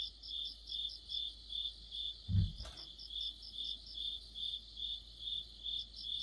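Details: Crickets and other insects in an autumn chorus: high, pulsed chirps repeated about twice a second in a steady rhythm, with a brief low thud near the middle.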